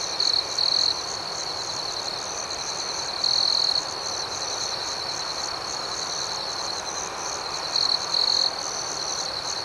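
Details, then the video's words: Crickets at night: a steady, high, ringing trill holds throughout, overlaid by faint pulsing chirps higher up, while a nearer cricket's louder trill bursts in briefly near the start, around three seconds and near eight seconds. "Soothing Cricket Sounds"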